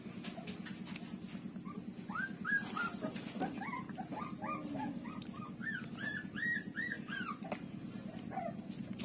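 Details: Nursing street-dog puppy Lulu with its mother: bursts of quick arched yelps and squeals, closely spaced in the middle of the clip, then sparser, above a continuous low rhythmic hum.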